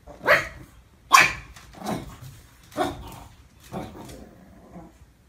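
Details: Dog faced with a mirror barks in a quick run of five sharp, bright barks, roughly one every second, fading in strength toward the end.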